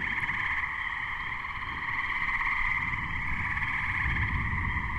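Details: Gray treefrogs (Hyla versicolor) calling together in May 2010 ahead of a thunderstorm: unbroken layered trilling chorus with a strong low rumble underneath and occasional Spring Peeper peeps in the background.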